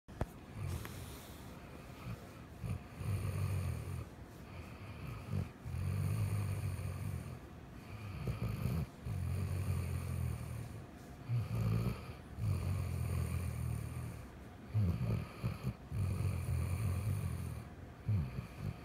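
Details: A sleeping Weimaraner snores loudly, with deep rumbling breaths repeating about every three seconds.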